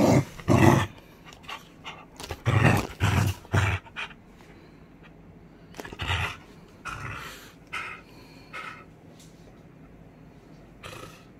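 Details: Loud, gravelly growls from a beagle at tug-of-war play, several strong bursts in the first four seconds, then softer, scattered grumbles fading toward the end.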